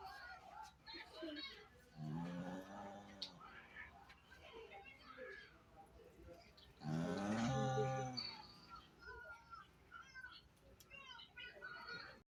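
A pug snores in loud, droning, moan-like bursts about five seconds apart, with faint talking behind.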